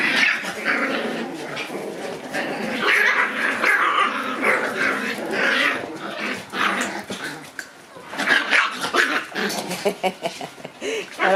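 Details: Shiba Inu puppies playing while basking in the sun on January 27. There are bursts of rough growls and short yaps, with a few clearer squeaky tones near the end. A person speaks nearby.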